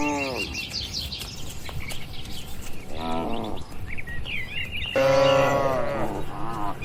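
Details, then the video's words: Tame cattle in a large livestock pen moo three times at scattered intervals. The calls are short, dropping lows, with the last one louder and longer, set against continual twittering birds and a low background rumble. "moo bunyi sapi lucu"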